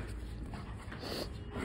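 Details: A playful Rottweiler hunting indoors for his ball breathes in soft, rapid panting bursts, low and breathy, with a low room hum and a voice asking in Bengali whether he has found the ball.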